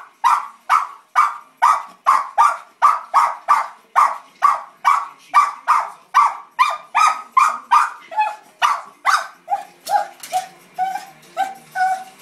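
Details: Cairn Terrier named Emma, eager to join the Puppy Bowl game on screen, lets out a long run of rapid, even barks, over twenty in a row, later turning thinner and more whiny.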